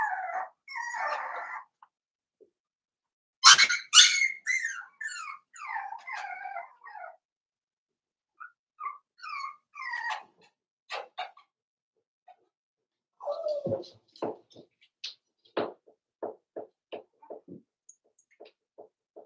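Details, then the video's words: Cavalier King Charles Spaniel puppies, five weeks old, in Daisy's puppy pen indoors: bursts of thin squeaky whimpers and short whines, then a stretch of quieter, scattered soft grunts and clicks. "Cavalier King Charles Spaniel Puppies Livestream"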